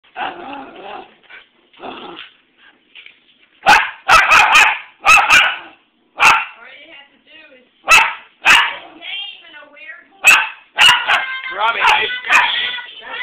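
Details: Loud dog barking in harsh, clipped barks, some in fast doubles and triples, mixed with growly whines and sharp clicks or knocks, with quieter gaps between bursts.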